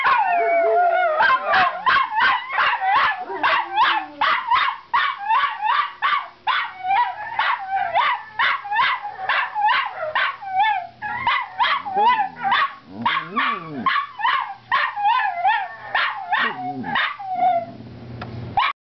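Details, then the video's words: Several pet Miniature Schnauzers yelp and howl as they watch their owner arrive home. A rapid, uneven chorus of high yips rides over sinking howls and continues for many seconds before easing off near the end. "Howling Schnauzers"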